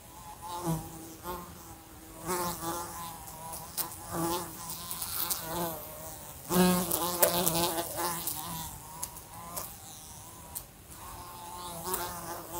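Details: Buzzing fly in a room beside a lamp, repeatedly bumping into it; the drone surges and fades over about twelve seconds, its harmonics wobbling, with sudden sharp taps at impacts.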